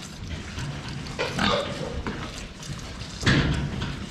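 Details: Pigs at a water drinker, filmed head-on: soft low grunting with two louder, breathy snorting bursts, one near the middle and one toward the end, over steady clattering and slurping sounds.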